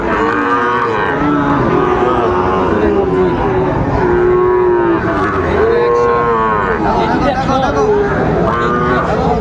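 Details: Several Sahiwal bull calves at a cattle market on 30 August 2024, as Dhaka farmers buy stock: repeated lowing moos every couple of seconds, some overlapping, beneath continuous crowd talk.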